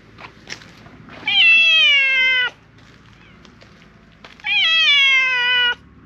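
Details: Loud, insistent meowing from a sabatora tabby stray in a park, appealing for something: two long steady meows over a second each, sliding gently downward at the end, separated by a short quiet gap.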